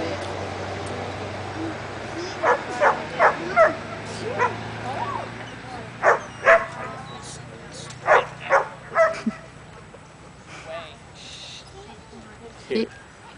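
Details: Luther, a Border Collie/McNab cross almost three years old, barks at a herding training clinic, amped up after an hour's drive and a wait. Sharp barks come in quick bursts, with quieter gaps, a low engine hum and some voices.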